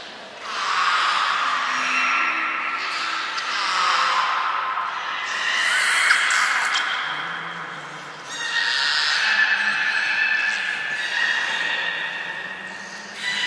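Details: Port of Nagoya Public Aquarium belugas Hodoi, Taanya and Mirai during pool transfer and training, 23 February 2021; overlapping wavering whistles and tonal squeals rise and fall in waves, with a low hum underneath.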